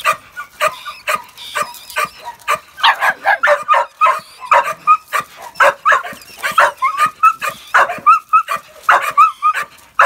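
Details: A working-line Bull Terrier puppy with a rat gives rapid, high, excited yapping barks mixed with short whines.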